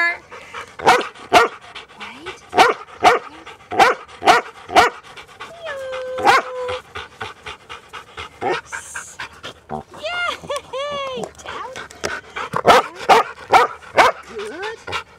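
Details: Noisy New Zealand Huntaways out on a Sunday walk with their owners: loud, sharp barks come in quick bursts, several per second at times, while people talk, laugh and a short whistle sounds.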